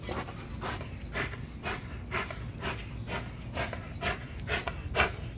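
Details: XL American Bully pitbull exercising on a heavy-duty spring pole, breathing in rapid, regular huffing pants about twice per second, each a short breathy burst, over a steady low rumble of background noise.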